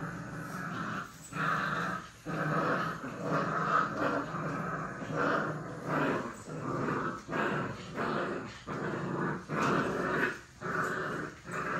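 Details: Puppies playing and play-fighting give rough, rumbling growls in uneven bursts of about a second, separated by short pauses, steady throughout.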